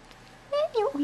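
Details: Hungry bottle-fed kitten emerging from its tent in a nursery for dinner. A clear, high, wavering mew breaks into a rapid three-part squeak.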